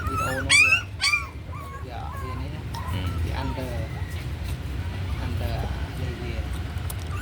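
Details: Puppy fed on milk powder gives two sharp, loud yelps, then a string of thin, rising-and-falling whimpers. A low droning hum runs underneath throughout.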